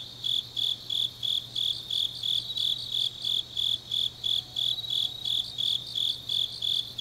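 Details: Deep-night autumn chorus of grass insects in Changnyeong, Gyeongnam: shrill pulsed trills repeating evenly about three times a second, a background wash of other insects, a steady low hum throughout.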